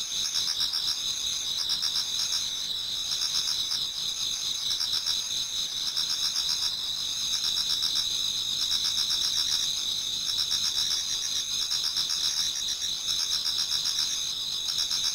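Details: Autumn insect chorus in a Japanese garden as dawn approaches, many singers overlapping: constant shrill ringing bands high up, beneath them rhythmic pulsed chirps in short bursts about once a second.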